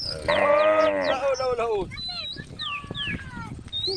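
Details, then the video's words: Tame cow in a group on a forest road gives a brief moo that drops in pitch and trails off. Scattered whistled bird notes follow over faint background noise. "the sound of cows is melodious"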